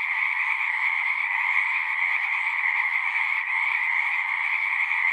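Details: Massed frog song in nature: a thick, constant trilling hum made of countless overlapping calls, pitched fairly high with a second lower layer, barely wavering in volume apart from a brief dip near the middle.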